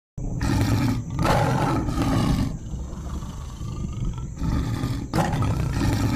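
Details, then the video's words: A lion roaring: deep, heavy bursts of low rumbling sound, loud and rough, rising and falling over several seconds with brief pauses between surges, and a steady thin high-pitched hiss running through the background. "زئير الأسد"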